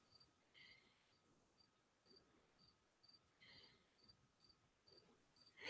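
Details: A single cricket, possibly indoors in a half-basement room, gives short high chirps roughly every half second, steady and faint, while a man talks in the background.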